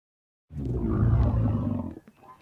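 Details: Bactrian camel giving one deep, rumbling roar lasting about one and a half seconds, thick with low harmonics, ending abruptly and followed by faint quieter sputters.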